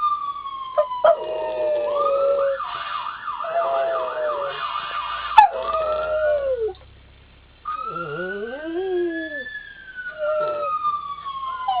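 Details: Pet dog named Twinkle Twinkle howling at dawn in response to police and ambulance sirens; drawn-out wavering howls slide up and down beneath a rising and falling siren wail, with a brief quiet gap midway.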